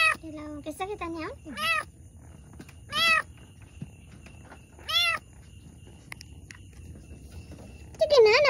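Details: Cat in labour with two kittens, a few bursts of quick, strained mewing at the start, then isolated high mews spaced one to two seconds apart, ending in a louder, rising cry; otherwise a quiet room.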